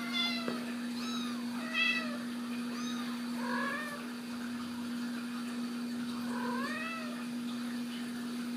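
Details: Young Ragdoll kittens raised indoors at a home cattery in central Kansas, mewing repeatedly: thin, high, arched mews, some rising then falling, several in a row, with a steady electrical hum beneath.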